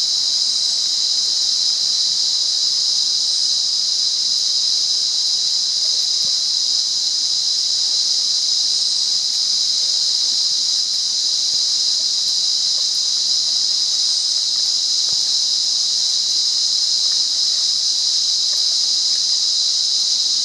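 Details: In Monaragala, Sri Lanka, wild cicadas keep up a steady, shrill, sizzling whine across twenty seconds without any break, accompanied by a few faint, short chirps from higher up.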